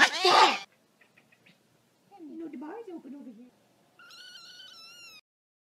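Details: Domestic cat meowing at home after a person speaks to it about bringing food. A burst of speech is followed by a low, wavering murmur, then a steady, high, slightly falling meow lasting about a second.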